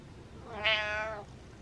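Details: Pet cat meowing indoors to tell its owner to get up; a single clear, drawn-out harmonic meow lasting about half a second, rising then level, in a quiet room.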